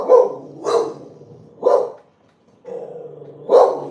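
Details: A dog in a household with many dogs barks during a live chat; four loud, harsh barks spaced roughly a second apart, with a brief silence before the last one.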